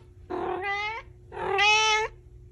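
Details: Talkative pet cat indoors giving two clear, drawn-out meows about a second apart, each starting rough and opening into a bright, harmonic tone, the second louder and higher.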